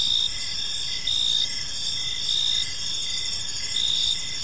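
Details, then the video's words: Crickets in a park at evening, loud pulsed chirps arriving roughly once a second above a sustained high insect buzz, steady hiss in the background. "Cricket Sounds in a Peaceful Park"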